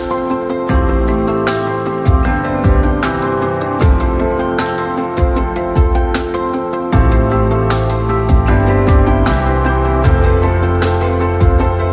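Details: Soft new-age instrumental music with piano-like notes and a low bass line plays throughout, with no animal sounds.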